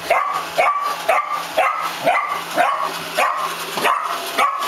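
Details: Rufus, a miniature dachshund, barking at a Roomba he does not like: sharp, high yappy barks repeated about twice a second, steady and insistent, indoors.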